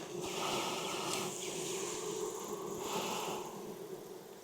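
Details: Steady, dense drone of honey bees at an open hive being inspected in Texas heat, smoker in use; a continuous mid-low hum with faint fluttering texture and light rustling on top.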